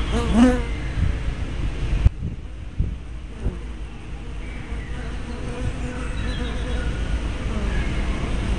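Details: Honey bees at a hive entrance, 24 May 2012, recorded on an '808'-type spy cam with a fisheye lens: one loud, low buzzing pass at the start, then a faint hum of bees against steady low-frequency background noise.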